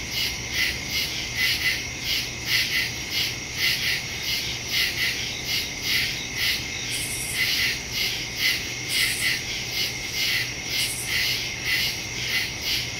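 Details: Crickets in woods at night, recorded September 2, 2023 on a Samsung Galaxy S22 Ultra phone with a Shure MV88+ stereo microphone: dense high-pitched chirping chorus in pulsing bursts, several overlapping callers, steady low hum beneath.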